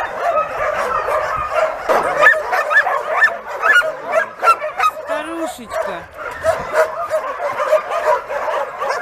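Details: Crowd of homeless dogs among roughly 2,000 animals keeps up a continuous, ragged chorus of yelping barks, with a few sharper high yips and a human voice briefly audible.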